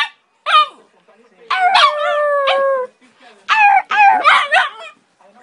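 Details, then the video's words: A West Highland White Terrier "talking": drawn-out, wavering howl-like yowls with strong harmonics, one held steadily for over a second, in three separate bursts, while a person encourages it in Spanish. "Westie Talking!!!"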